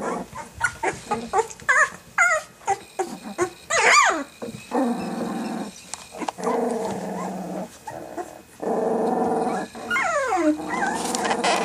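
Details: Territorial two-week-old Rottweiler puppies: a run of short squeaks and yelps gives way to longer harsh, rasping growls lasting a second or two each, with a thin whine near the end.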